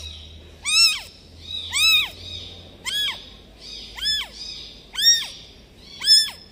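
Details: A newborn kitten left by its mother cat gives high, thin meows, each rising and falling, about once a second.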